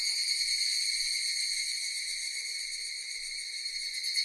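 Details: Steady shrill chorus of cicadas, a continuous high-pitched metallic buzz with layered ringing tones that hold level throughout, slightly pulsing in loudness, with nothing else audible.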